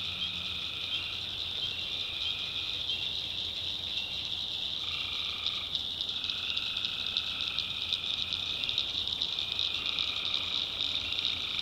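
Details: Tree frogs calling at night in a North Carolina backwoods swamp: several long, even trills overlap and start and stop every few seconds, all over a constant shrill, high-pitched chorus drone.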